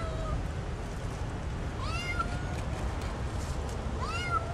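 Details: Back-yard stray kitten offered food mews three times: a short call at the start, a longer upswept meow near two seconds, and another rising meow at the end, over low rumbling background noise.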